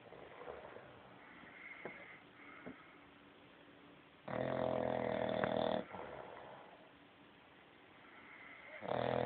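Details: Bulldog snoring: a steady, raspy rumble with a loud, dense burst of harsh snoring midway, then quieter breathing that swells again at the end.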